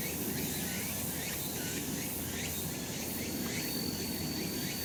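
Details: Brief stretch of cicada chorus from a summer mountain in the sun, rapid rasping buzzes overlapping in a steady wash, with a faint continuous high whistle-like tone and low ambient hum beneath.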